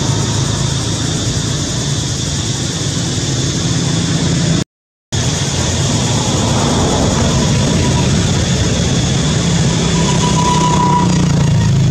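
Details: Steady, loud engine-like rumble and hiss fills the recording, broken by a brief total dropout near five seconds; no animal voice is heard.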